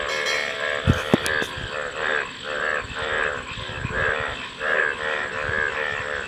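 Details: A chorus of frogs gives pulsed, buzzing croaks in regular swells, opened by a few sharp clicks and knocks, over a constant background hum.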